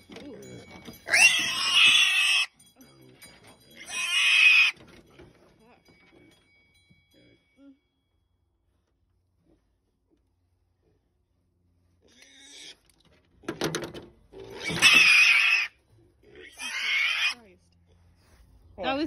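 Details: Purebred Berkshire piglets, including gilts kept for breeding, squealing on arrival at a pasture farm: loud, harsh, ear-piercing screams in four bursts of one to two seconds each, separated by a long quiet gap, with people talking nearby.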